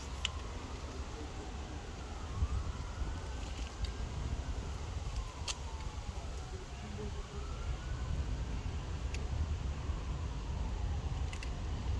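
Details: Street noise with a wailing siren rising and falling in the distance over low traffic rumble and occasional clicks, with no animal voice heard.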